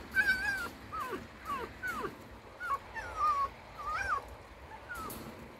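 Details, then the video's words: Red fox held as a pet and described as being in a bad mood. It produces about eight short, squeaky whines that wobble and dip, spaced half a second to a second apart, over a background of soft music. "У лиса плохое настроение"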